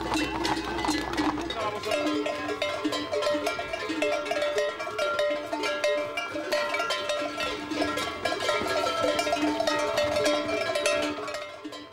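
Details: Cowbells ringing steadily over a bed of music, with faint speech; no animal voice can be picked out.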